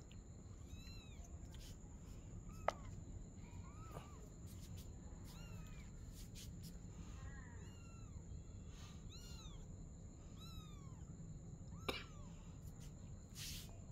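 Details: At night a mother cat and her kitten play together; a run of short, high, arching mews repeats every second or so for the whole stretch, with two sharp clicks and a steady background hum.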